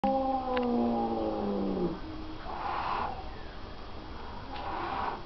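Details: Tomcat snarling at a vacuum cleaner that is switched off, indoors: a harsh, wavering growl with stacked tones during the first two seconds, falling in pitch, followed by quieter scuffing and faint background noise.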